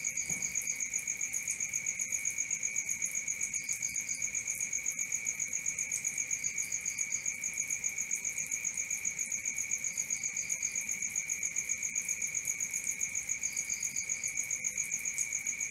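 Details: Night crickets chirping steadily, rapid regular pulses near four per second over a constant high-pitched ringing, with short clusters of three or four higher chirps from another cricket every few seconds.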